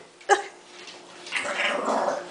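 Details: Pet dog giving one short sharp bark, then a longer rough, grumbling growl with a whining edge, while a woman talks to it softly and soothingly close by.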